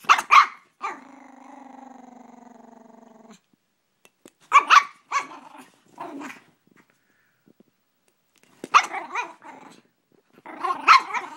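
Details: Gracie the Brussels Griffon, objecting to a water bottle, fires off sharp barks in short bursts of two or three, with a steady drawn-out whining growl after the first burst and gaps of silence between.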